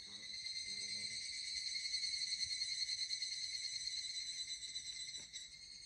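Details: High, bright pulsing trill of an evening cicada heard while hiking the Koya Sanzan peaks on a hot summer day, steady and ringing throughout, fading a little near the end; a few soft low thumps underneath.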